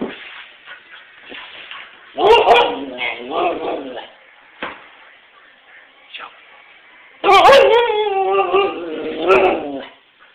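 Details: White Siberian Husky vocalizing in drawn-out, warbling howls with rising and falling harmonic tones, two main bursts of about two seconds each, separated by softer whines and pauses.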